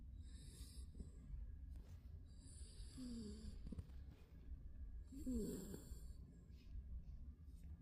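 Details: Napping Spitz giving two raspy snores with squeaky wheezing notes, each followed by airy high hiss, against constant low background hum.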